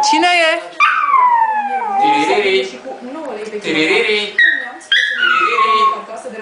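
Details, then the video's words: Two-year-old male Yorkshire Terrier named Muffin singing along: falling, whining howls repeated several times, mixed with human singing voices nearby. "Yorki singing"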